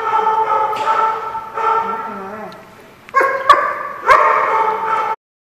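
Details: Barking dogs, dated 6/1/15: long, tonal, whining barks in two groups, a short lull with a softer whimper, then louder sustained barks with sharp knocks, then sudden silence.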